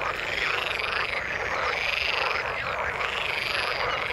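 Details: Frogs calling in the water, a dense chorus of overlapping pulsed croaks forming a continuous rattling wall of sound with no pauses.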